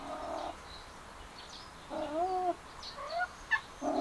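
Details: Male cats trail a female cat; a rising-then-falling, nasal yowl with strong overtones opens and ends the moment, with brief high bird chirps scattered between.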